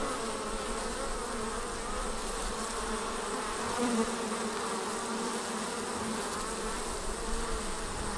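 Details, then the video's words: A honey bee swarm pouring out of its hive produces a thick, constant buzzing drone, rich in overtones and level throughout, without pause. "Bee Swarm Leaving the Hive"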